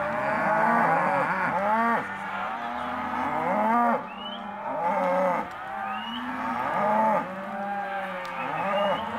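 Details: Cows of Hereford and black-baldy type in an auction lot, moaning repeatedly about every two seconds, several voices overlapping in arched, wavering moos.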